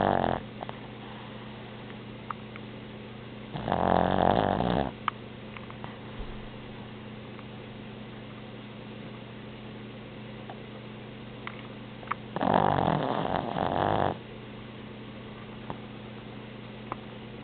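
A Boston Terrier snores, two rasping breaths about eight seconds apart over a steady low hum.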